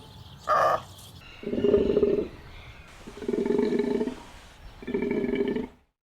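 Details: Takin calling: a series of three hoarse, rasping bellows each under a second long, spaced about 1.5 seconds apart, preceded by a brief higher-pitched sound.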